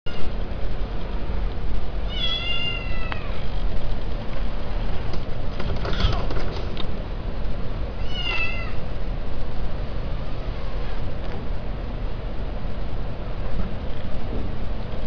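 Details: Male cat during mating giving two short, drawn-out meows with a rising-then-falling tone, roughly six seconds apart, over a constant loud low rumbling background noise.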